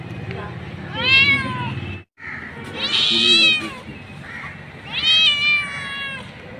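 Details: Mother street cat calling for her kittens: three loud, drawn-out meows, each rising then falling in pitch, spaced about two seconds apart, with a brief silent break between the first and second call.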